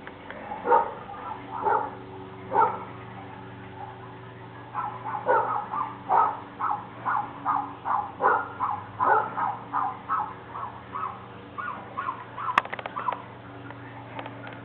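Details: Protective of their property, a big pit bull and a little Jack Russell terrier bark in a long run of quick, evenly spaced yaps that speed up midway, then trail off amid a sharp click and low hum.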